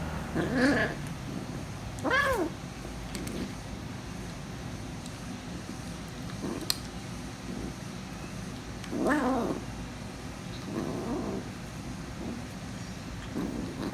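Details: Hungry female kitten, protective of her food and noisy while eating, gives loud harmonic meows at about 1, 2.3 and 9 seconds with softer calls between, over steady low background rumble.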